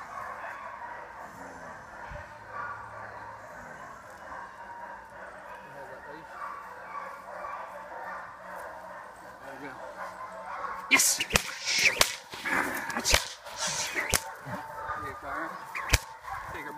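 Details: Four-and-a-half-month-old German Shepherd puppy in early protection development training for sport work. A steady droning hum fills the first ten seconds, then sharp, loud barks burst out roughly once a second while a man calls out commands.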